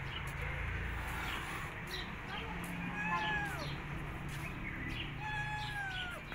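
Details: Domestic cat, a mother that has just given birth to kittens and is hiding them, gives drawn-out meows that bend up and fall again, two clear cries about two seconds apart over steady low rumbling background noise and faint high squeaks.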